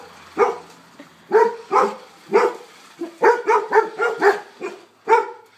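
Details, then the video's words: Golden retrievers playing against a remote-controlled car bark in single loud, hoarse woofs about half a second apart, with a tighter run of barks near the middle. "Golden Retriever VS. Rc car"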